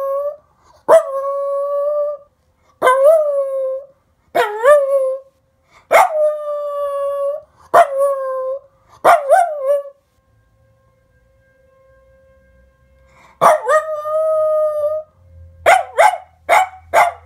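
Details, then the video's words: Pet dog singing along with a monthly municipal test siren. Repeated short howls, each dipping or wavering at the start, then a steady tone, come in a series with gaps. A quieter stretch gives way to a longer howl and a final run of clipped yips. "Henry Sings Along With Test Siren!"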